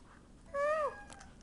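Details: A domestic cat crying for someone to open the door: a single clear, drawn-out meow that rises slightly and then falls, lasting about a third of a second, against a quiet indoor background.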